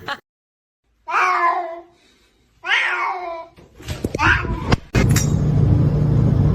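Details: Kitten meowing indoors: three short arched meows roughly a second or so apart, each rising then falling, the last one briefer, followed by loud rustling handling noise; people talk and laugh nearby.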